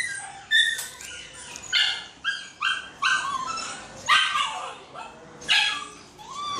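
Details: A Shih Tzu at the groomers on its first visit, giving short high yips and barks in bursts about every second or so, with a woman talking softly to it between the calls.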